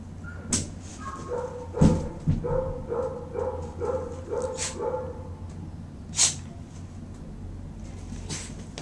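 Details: Standard Schnauzer named Chunky, up for adoption at a shelter, gives a run of high, wavering whines and yips for several seconds, each note sliding in pitch, followed by a few sharp clicks and a quieter sharp yelp near the end.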